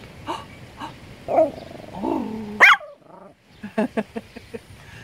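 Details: Pet Papillon Tashi, a male that loves squirrels, makes low rumbling growl-like sounds, then one loud sharp bark, followed by a quick run of short soft yips roughly every quarter second.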